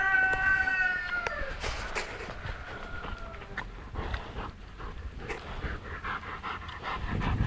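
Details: Kuvasz dog giving a high, harmonic whine that slides downward through its first second, then gives way to rustling, shuffling and scattered knocks.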